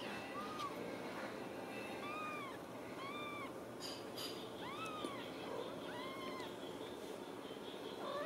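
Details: Ragdoll kittens raised indoors without cages at a home cattery in central Kansas, giving thin, high meows that rise and fall in arches, about six calls spaced roughly a second apart, over a steady background hiss.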